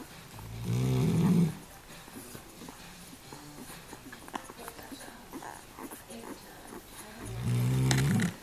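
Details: A female Weimaraner, asleep while nursing her litter of five-day-old puppies, snores in two long, low, rumbling breaths with a quiet pause between them.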